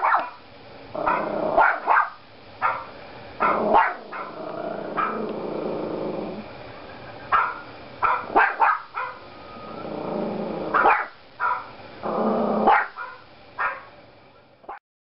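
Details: A Yorkshire Terrier puppy barks at another dog on a computer screen, letting out sharp, high barks in uneven bursts with low, growly stretches between.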